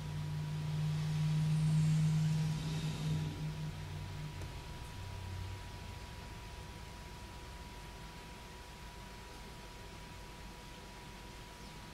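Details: Low rumbling, like a passing vehicle, swells and fades under a steady electrical hum, with no clear animal calls.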